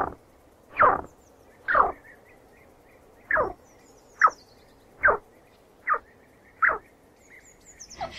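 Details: Real chinchilla chirps: a steady series of eight brief, falling squeaks roughly every second, bright at the start and sliding down, with faint high chirping sounds in the background.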